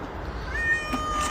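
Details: Cat uttering a thin, high, steady meow that steps down in pitch partway through. Soft background hiss and faint room noise accompany it.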